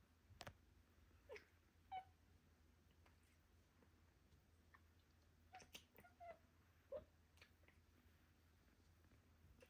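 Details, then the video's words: Pablo, a playful British Shorthair cat born May 24th 2023, chasing a laser light indoors; brief high chirps pop up four or five times, spread across the clip, among soft clicks and taps of play in a small room. "Boi Plays with Laser and Chirps"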